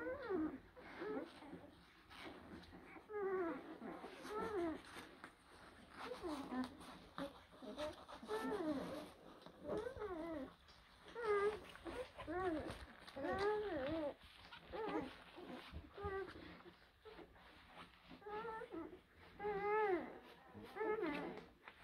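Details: Litter of young blue Great Dane puppies, born April 2023: many overlapping squeaky whines and whimpers, each a short arched tone rising and falling, coming in bursts of crowded cries with brief lulls, indoors.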